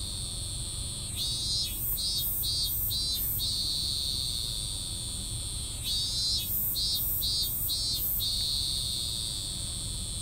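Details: A cicada with an oddly incomplete song repeats two sets of about five short, pulsed, buzzy bursts, each set ending abruptly as though the call never gets finished, over a steady background whine.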